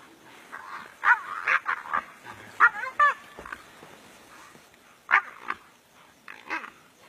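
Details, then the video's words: Brown hyenas fighting each other in the African bush: short, strained yelps and squeals with bending pitch, delivered in uneven clusters of two or three, separated by brief quiet gaps. "Brown hyena vs Brown hyena"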